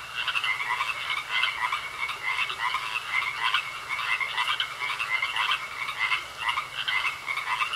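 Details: Pond frogs croaking, overlapping pulsed calls in quick repeated bursts above a faint constant high-pitched tone.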